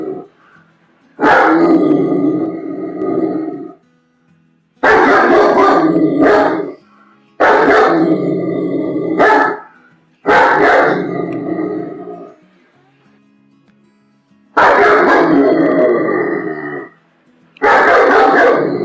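A German Shepherd gives loud, rough barks run together into bursts roughly two seconds long. The bursts come every few seconds with short silences between them, each one full-throated and slightly growly.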